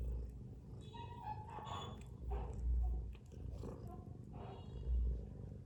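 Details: Snoring mother cat asleep among her kittens: deep rumbling breaths swelling into louder low bursts about every two to three seconds, with faint higher tonal sounds in between.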